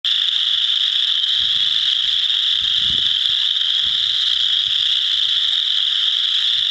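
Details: A dense chorus of chorus frogs in a frog pond, with a few wood frogs as well, their high trills merging into a steady, shimmering wall of sound.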